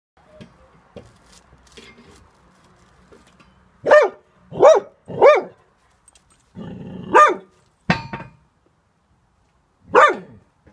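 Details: Cocker Spaniel, trembling and scared of neighbours gardening, gives a run of sharp, mid-pitched barks: three in quick succession, then a pause with faint rustling, two more, and a final bark after a gap.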